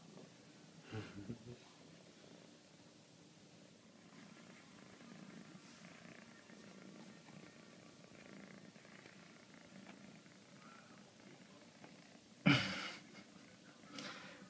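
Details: Exotic Shorthair kitten named Mila purring as she seeks lots of hugs and scratches; a continuous low rumbling purr with soft rustles and one sharp loud bump near the end.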